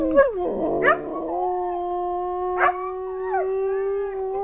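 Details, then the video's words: Dogs howling, recorded in August 2010: a sustained, steady tonal howl holding one pitch for several seconds, broken by brief yelping bursts near the start and a short rising yip partway through. "Dogs Howling"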